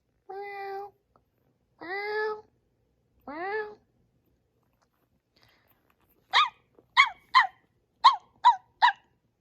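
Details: Pomeranian puppy named Bori, indoors, reacting to strange sounds: three drawn-out, steady tonal sounds with a rising tail, a pause, then six sharp, short high yips fired off in quick succession.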